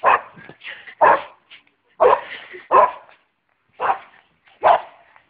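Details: Boxer dog jumping on a trampoline gives a run of hoarse, forceful barks roughly once a second, some doubled with a softer trailing yelp, loud and close throughout.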